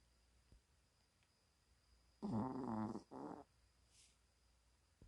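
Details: Pet dog snoring heavily while asleep, as it does every time it sleeps: two rough, rattling snores, one about three quarters of a second long and a shorter one, in a quiet room.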